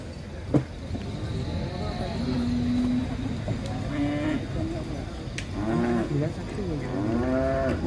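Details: Cattle being unloaded from a truck at a contest in Indonesia: several short, moderate moos scattered through a busy scene, with people talking, vehicle rumble and a sharp knock near the start.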